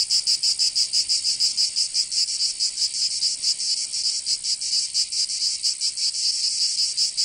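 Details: Provençal cicadas in summer, southern France: an intense high-pitched rasping drone with uneven throbbing pulses that blur together in places, continuous throughout with no other voices.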